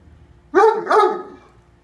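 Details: Deaf Great Dane barking at a cat occupying the bed at bedtime: two loud, deep barks about half a second apart, quiet room.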